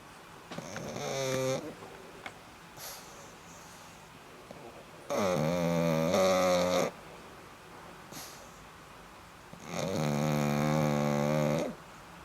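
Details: Black pug asleep, producing three rasping, harmonic snores at roughly four-second intervals, the later ones louder and longer, with quiet breathing between.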